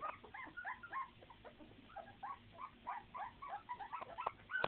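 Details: Puppies give soft, fast whimpers and squeaks, overlapping and uneven, set against a low background hum, with a sharper squeal right at the end.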